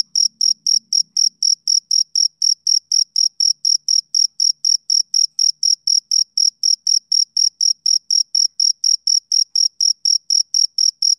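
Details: A male cricket on a summer evening keeps up an unbroken run of bright, high-pitched chirps, roughly four per second, evenly spaced and uniform in loudness throughout, with nothing else audible.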